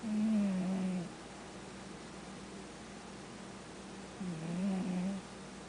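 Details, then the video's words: Sabastian the cat snoring in his sleep, two low rasping breaths about a second long, one at the opening and one after a pause of roughly three seconds, in a quiet room. "Snoring Cat - Sabastian"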